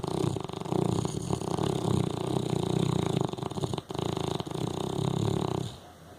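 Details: A pet dog snoring loudly indoors: deep, rough, rumbling breaths in a continuous, pulsing stream for nearly six seconds, low and throaty, then fading into near quiet at the end.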